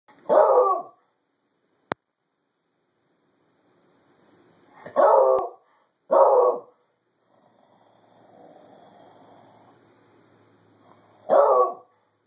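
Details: Cyrus, a pet dog bored of winter, barks out the window: four loud, sharp single barks spread over twelve seconds, with long quiet gaps and a faint low hum between them.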